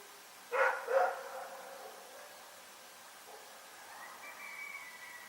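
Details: Rex the dog barking in the night in Pyrga, a quick pair of loud barks at the start, then quiet with a faint drawn-out whine-like tone later.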